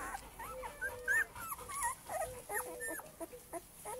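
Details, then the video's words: A litter of male Cane Corso puppies kept at a kennel gives a jumble of wavering whines and squeaky yips, with pitches bending up and down as several pups call at once over faint background hiss. "Cane Corso male puppies litter J"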